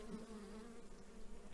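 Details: Restless Carniolan honey bees at a small apiary during a spring colony inspection, possibly disturbed by chainsaw noise from tidying up; a continuous low, even droning hum with a faint higher tone at the start.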